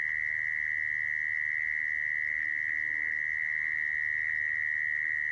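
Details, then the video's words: Continuous shrill mole cricket trill, used as a lure for trapping mole crickets, running at an even pitch and loudness throughout, over a quiet low hum. "Tiếng dế dũi dùng để bẫy"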